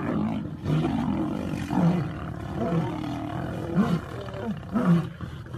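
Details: Lion pride ganging up on a lioness during a fight; deep rough growls and snarling roars rise and fall in bursts about once a second, several animals overlapping.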